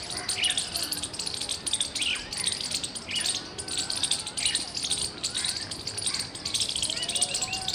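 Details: On 17 February 2021, a squirrel gives loud, sharp chirps in quick repeated bursts, with bird chatter around it.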